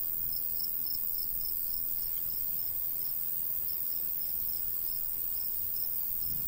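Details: Summer crickets in a countryside wheat field chirp in quick, even high pulses, about a few per second, with soft wind noise underneath.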